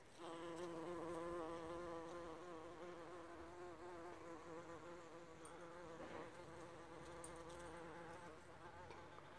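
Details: Bumblebee on a John Davis Explorer rose in Grande Prairie, Alberta, Canada, giving a steady low droning buzz with rich harmonics that wavers slightly in pitch and holds throughout the nine seconds.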